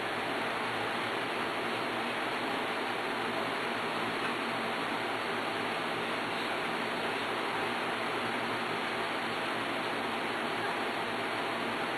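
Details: Constant broadband hiss fills the recording, with no animal sounds.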